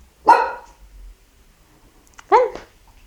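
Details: Shih Tzu puppies, a brother and sister, playing together indoors; two short, sharp barks about two seconds apart, with near silence between them.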